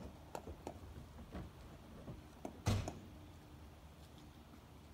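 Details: A quiet indoor room with soft taps and clicks and one louder thunk like a door, with no animal voice.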